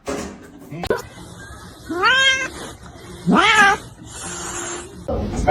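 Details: Domestic cat giving two loud rising-falling meows about a second apart, the second longer and sliding upward, amid people talking and laughing in a room.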